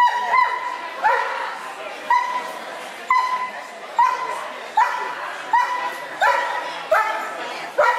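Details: Clumber Spaniel named Belle barking steadily, each bark a bright, clipped yelp that rises and then levels off, coming about once per second in an even series of around nine.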